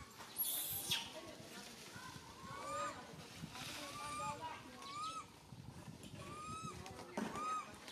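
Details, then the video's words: Fearful cries of Santos, a tiny baby monkey stranded alone up a high tree and calling its mum: short, arching, whine-like notes with harmonics, spaced every second or so over a hissing, rustling background. "Calling Mum Helped while Stuck on high tree alone Tiny baby monkey SANTOS Cry very fearful"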